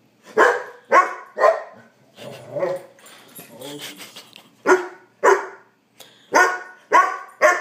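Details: Trigger, a hungry pet puppy demanding dinner, lets out three quick barks, then low grumbling and muttering noises with a person talking, before resuming with several spaced, sharp barks.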